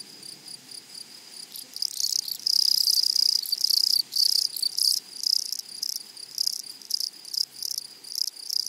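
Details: Close grasshoppers in a flowery prairie meadow give a sharp, high rasping chirr that swells into a loud, sustained burst. It then breaks into separate scratchy pulses roughly every half second.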